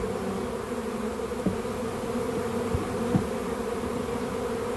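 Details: Honey bee swarm in a back yard, being captured to join a beekeeper's hive: a steady, dense hum with low and mid tones, a few faint knocks over it.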